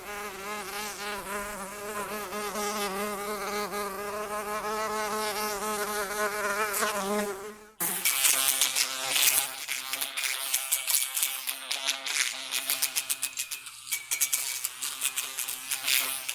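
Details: Fly in flight: a wavering, droning buzz for about eight seconds, then an abrupt change to loud, rapid ticking and tapping with a thinner buzz behind it, uneven and gusty until the end.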